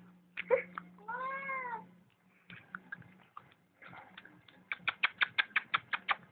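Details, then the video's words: Domestic cat producing a short arched meow amid clicks and taps, then a rapid series of sharp repeated ticking sounds near the end, with a man speaking affectionately in the background. "Funny cat sounds"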